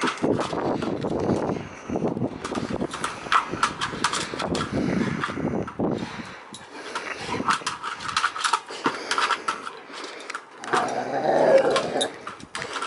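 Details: Amorè, a two-year-old Rottweiler service dog, growls and 'talks' while playing with her Varsity ball indoors: rough, low grumbling bursts through the first six seconds amid clattering and scraping of the ball, then a quieter stretch with a final grumble.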